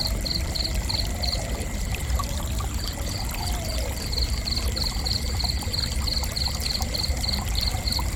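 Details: Cricket chirping gently: brisk high pulses, about four each second, briefly pausing near the start and then running on steadily to the end, over a constant low trickling, rushing water background.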